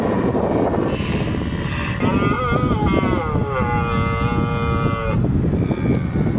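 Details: Deer in London's Richmond Park during the rutting season, out in large numbers: a single long, steady harmonic call held about three seconds, dipping slightly midway, over constant low traffic and vehicle rumble.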